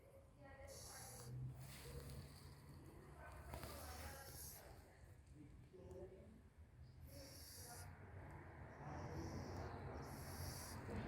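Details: A poor little cat in a sneeze attack lets out about four sharp, hissing, breathy bursts spread over eleven seconds, with a low steady hum underneath.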